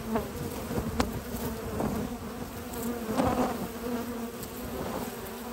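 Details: Hard-working honey bee foragers hauling pollen into the hive in spring, morning at a research lab; dense low buzzing hum with passing louder wingbeats and a few soft taps.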